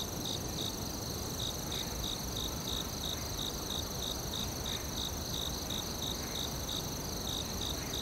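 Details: Forest cricket chorus: evenly spaced pulsed chirps, roughly three per second, over a constant high-pitched ringing tone and heavy low background hiss.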